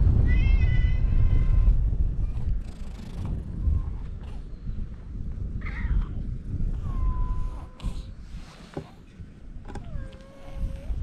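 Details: Stray cats gathering on a breakwater while waiting for a ferry: a long, harmonic-rich meow opens, followed by several shorter, thinner mews spaced a few seconds apart over low wind rumble.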